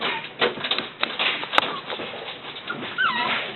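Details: Dog among littermates whimpering near the end with a wavering, bending high whine, after a stretch of scuffling, clicks and handling noise, with a woman speaking softly to it.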